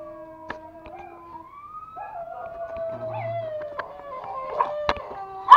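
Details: Two toy Pomeranians, male Pomo and female Pomy (born 2017), at home in Kathmandu, Nepal; one howls along with music in long, wavering tones sliding slowly up and down. Pomeranian.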